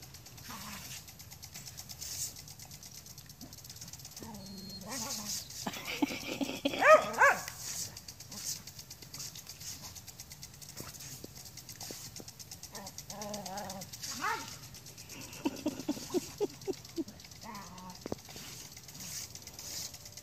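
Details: Scottish Terrier, a pet new to country life, barks while attacking a lawn sprinkler used by an aerobic septic system. Short harmonic barks come in scattered bursts, clustered mid-clip and again near the end, over the steady rhythmic hiss and tick of the spraying sprinkler.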